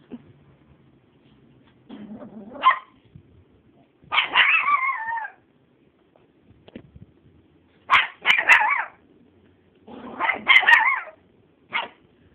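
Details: Miniature Chihuahua afraid of a small feather, recorded on a phone. It gives shrill, wavering yelps and whiny barks in short bursts separated by quiet pauses, with faint low room sounds between them.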